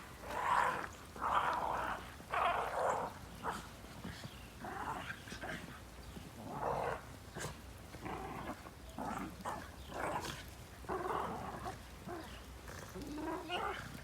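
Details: Shiba Inu romping wildly in snow, uttering gruff, noisy growls in quick irregular bursts, nearly one a second, loudest at the start, with faint human voices in the background.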